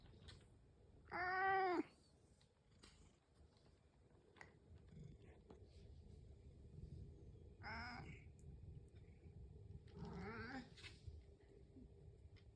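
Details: Pet house cat calling while waiting for its breakfast in the morning: one loud, clear, wavering meow near the start, then two fainter, shorter meows later, over a quiet indoor background.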